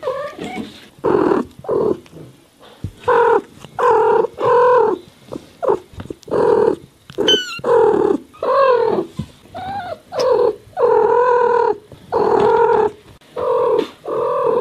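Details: Domestic cats meowing nonstop: a dense run of low, drawn-out, wavering meows, some rising and falling, following one another with barely a pause for about fifteen seconds, with one brief higher squeal near the middle.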